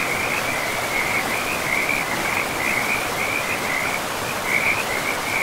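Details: Frog calling by a forest river: a sustained, high, rapidly pulsed trill runs almost unbroken, with slight dips and surges, above the steady hiss of flowing water.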